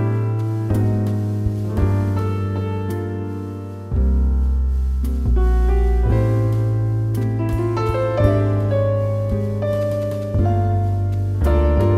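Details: Gentle piano music with sustained low notes fills the recording, with no puppy sounds heard.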